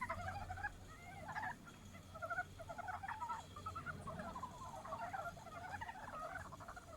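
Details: Japanese brown frogs calling in love after snowmelt has turned to streams; many short pulsed clucking notes in rapid bursts, several callers overlapping continuously, with low background rumble.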